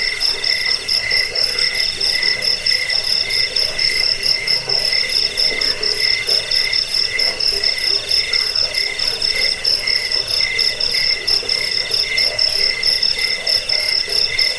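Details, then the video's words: Cricket chorus meant to drive off rats, help with sleeplessness and tutor cage birds: dense, steady high-pitched pulsed trilling, a sharp upper tone and a softer ringing lower tone throbbing roughly every half second. "Suara jangkik pengusir tikus pengantar tidur"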